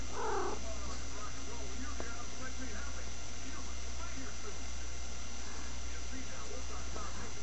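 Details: A female house cat makes her strange noise in a brief, bright, harmonic burst right at the start. A person keeps asking her what's the matter, and faint low murmurs follow.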